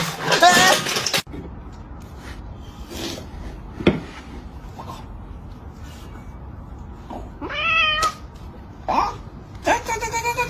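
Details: House cat acting as a food thief, with a loud rustle at first, then three short meows toward the end, each a clear bent cry, the last one longer and wavering, over quiet room noise.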